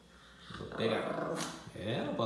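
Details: A pet Pinscher growls in a low, rumbling, harmonic snarl that rises in two bursts as its owner teases about taking something away, with a man's voice speaking Portuguese close by throughout.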